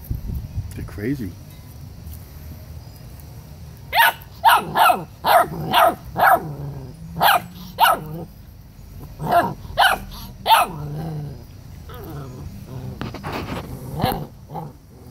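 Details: A dominant 7-week-old male Rottweiler puppy growls and yaps in sharp bursts, guarding food and not letting his littermates eat, while his sister objects.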